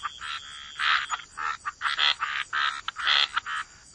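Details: Frogs croaking by the waterside in a wetland, a gentle chorus of short, rasping croak bursts repeated at uneven intervals, overlapping callers, with a faint steady high hiss behind them.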